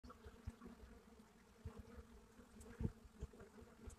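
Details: Buckfast honeybees at a hive entrance in Brittany, France: a quiet low hum with bands near 250 and 500, punctuated by brief louder buzzes of individual bees passing close.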